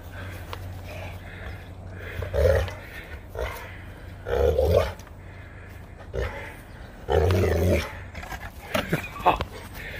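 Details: Saint Bernard puppy named Max playing outdoors in 25-degree cold. Several short, low, rough growling bursts, each under a second long, come at uneven gaps amid a steady low hum.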